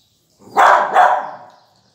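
A beagle puppy gives two quick, high yappy barks in close succession.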